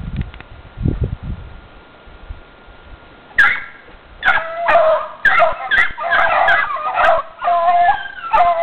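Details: Running dogs: after a few seconds of low rumbling, a rapid run of high excited yips and barks follows, overlapping almost continuously to the end.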